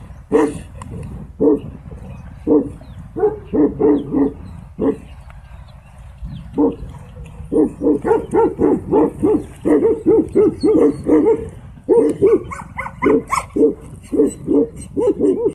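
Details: Tibetan Mastiff in a real fight with a wolf; loud, deep barks in fast runs, roughly one per second, a brief lull, then dense rapid barking.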